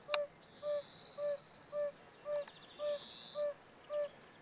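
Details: A male yellow-bellied toad (Bombina variegata) calling in the southern Vienne department, France, on 19 April 2018: a low, soft, hollow 'uh' note repeated about twice per second, with faint higher chirps and thin hiss behind.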